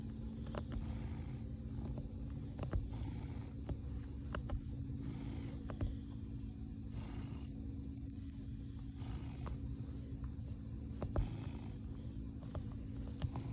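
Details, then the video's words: Purring male cat kneading his bed: continuous deep, even rumble swelling with each breath, breathy phases recurring about every two seconds, occasional light taps and rustles over the purr. "The cutest purring biscuit making kitty cat"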